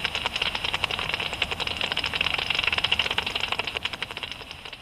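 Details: Japanese pipistrelle (Pipistrellus abramus) flying about at dusk, its ultrasonic echolocation converted by a bat detector into a fast, dry stream of ticking clicks.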